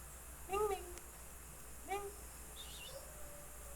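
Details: Percy, a pet domestic cat who hunts frogs and brings one in every night, gives two short, arching harmonic meows about a second and a half apart over a steady low hum and faint insect noise.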